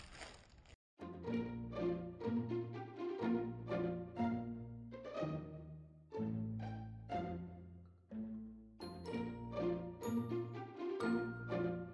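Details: Light plucked and bowed string music with a bouncing rhythm plays throughout, and no animal sound is heard.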